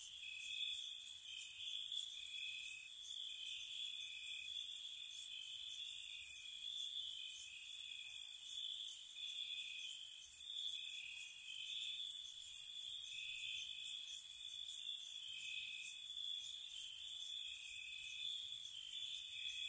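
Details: Gentle crickets at night in spring around a cottage, a dense high trilling drone with pulsing layers and frequent short bursts of piercing chirps, steady throughout with no other clear sounds.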